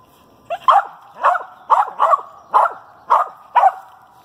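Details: Female dog barking at a squirrel she has treed in a nest in a pine thicket: eight sharp, mid-pitched barks in about four seconds, spaced unevenly at roughly half-second gaps, with a faint steady hum underneath.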